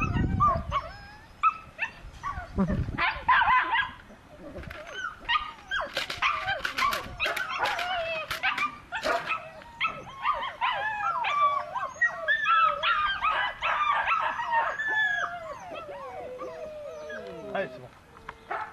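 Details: Belgian Malinois puppy yelping and whimpering in quick, uneven bursts, the cries bending up and down in pitch, with clatter and thumps at the start and a longer falling whine near the end.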